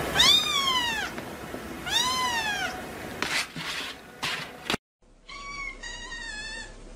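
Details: Kittens give high, arched meows, two long ones sweeping up then down, followed by short scuffs, a brief silence, and a run of quicker, thinner wavering mews.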